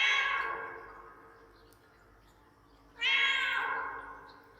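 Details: A pet cat vocalizing insistently as if asking for something, echo applied: two loud, bright meows about three seconds apart, each gliding down in pitch and fading into a lingering reverberant tail in a quiet indoor room.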